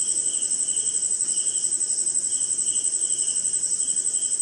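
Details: Crickets at night in the rain, somewhere in India, jungle and swamp setting: a steady, very high ringing drone over a lower pulsed trill that rises and drops in loudness in uneven waves.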